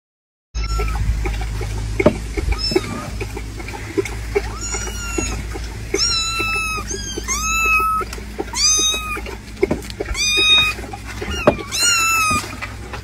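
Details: Kitten giving a quick series of high, clear meows, each rising then falling in pitch, about a dozen calls that come faster and louder toward the end over a steady low hum.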